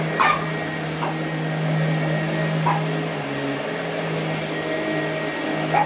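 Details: A 12-year-old female Boston Terrier weighing 8.5 lb barks sharply at spaced intervals while chasing a running vacuum cleaner over its steady roar. She has chased the vacuum all her life.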